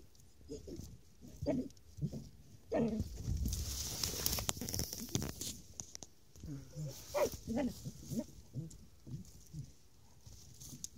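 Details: During a badger hunt, an American Foxhound bays in short, repeated bursts at a badger it has cornered under an old house, with people talking nearby.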